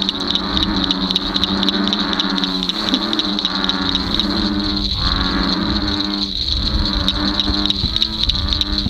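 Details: A dense night chorus of American bullfrogs in a dark swampy lake on a windy night, deep droning calls overlapping, with a steady high insect trill above.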